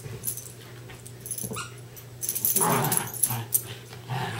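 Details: Two West Highland White Terriers, Darby and Riley, playing tug of war indoors; rough growly bursts build in the second half, with a steady low electrical hum underneath.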